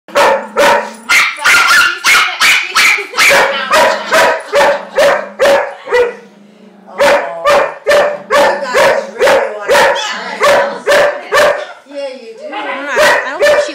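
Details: German Shepherd at puppy class, holding a back-and-forth vocal exchange with another dog: sharp, evenly spaced barks about twice a second, broken by low drawn-out whining tones and a brief pause near the middle.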